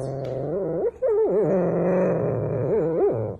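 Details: Rottweiler giving a long, moaning, wavering vocal sound whose pitch slides up and down continuously for about three seconds, with a brief break just before the one-second mark.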